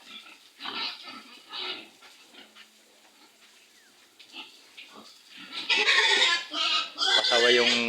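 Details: Pigs being loaded for transport, eighteen head in the batch, among them a stubborn sow; talking and faint grunts at first, then loud, harsh, broadband squeals in rapid overlapping bursts through the final two seconds.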